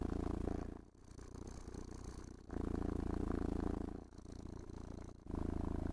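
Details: Cat relishing being brushed and petted, giving a happy, vibrating purr indoors; low, buzzing rumble pulsing in alternating loud and soft stretches of about one and a half seconds each, with faint handling noise.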